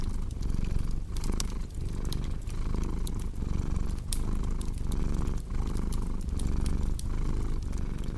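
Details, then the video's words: Domestic cat purring steadily, a deep rumbling drone that swells and dips with each breath about every 0.7 seconds, over sharp pops and snaps of a crackling fireplace. "Purring Cat with Cozy Crackling Fireplace Sound"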